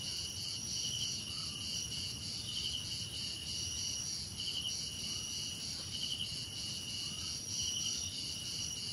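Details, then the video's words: Crickets in a nature ambience with cicadas, insects and birds: steady high, pulsing trills layered at several pitches, with brighter bursts about every second and a half over a soft low rumble. "Relaxing Cricket Sounds"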